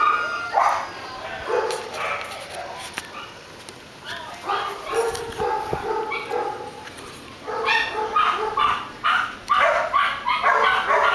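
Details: Dog yapping in irregular bursts of short, high, harmonic barks, several runs spread across the stretch with quiet gaps, while a person talks to it in between.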